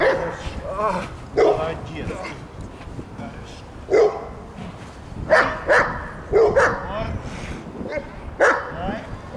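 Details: Belgian Malinois attacking during protection training at the Strazh service dog training centre in Odesa, Ukraine; sharp, loud barks come in short bursts, often in pairs a second or two apart, with people's voices between them.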